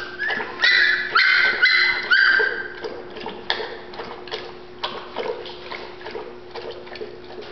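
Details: Golden Retriever puppies, Terrell, Texas: a burst of loud overlapping high whines in the first seconds, then fainter intermittent yips and whimpers over a steady low hum.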